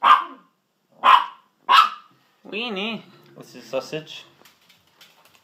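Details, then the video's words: Dachshunds Sausage and Weenie give three sharp barks about a second apart, then a woman's sing-song voice takes over while the dogs go quiet. "The Best of Sausage and Weenie (Dogs)"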